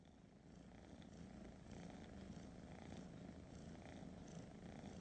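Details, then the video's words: Domestic cat purring: a steady, dense low rumble that holds evenly through the whole stretch, with faint higher hiss above and no other clear sounds. "Cats purring."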